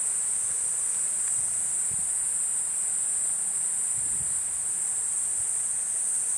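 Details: A Platypleura kuroiwae cicada gives an even, piercing, sizzling buzz that runs unchanged from start to finish, with only faint low taps beneath.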